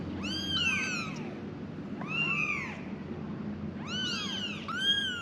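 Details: Five kittens crying for their mother, giving drawn-out, quavering high meows in small clusters with pauses between, over a steady low hum.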